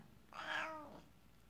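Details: Male Siamese cat indoors, talking to its owner after she returns from work: a single clear, drawn-out meow that rises then slides downward, lasting under a second, in a quiet room.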